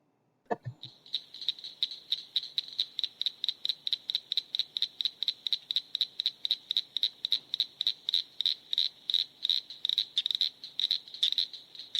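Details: Northern Cricket Frog calling with sharp, high clicks, likened to stones hit together or a socket wrench ratchet; after one low thump, the clicks start spaced and speed up into a steady run lasting about eleven seconds.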